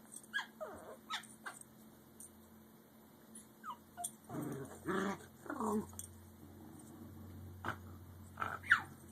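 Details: American Eskimo Dogs indoors, a five-month-old puppy squabbling with an adult over the adult's bone: low rumbling growls mixed with short rising and falling whines and whimpers, several bursts scattered across nine seconds, plus a faint steady hum.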